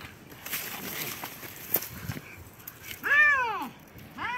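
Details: White cat and black cat in a fight; a short stretch of rustling and faint sounds, then a loud arched yowl rising and falling over half a second, with another cry starting at the end.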